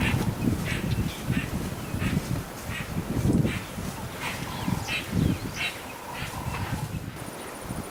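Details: A spotted hyena in Selous Game Reserve, among a hyena family fighting over the remains of a killed wildebeest, gives a run of low, rhythmic, cackling bursts, each about a second long.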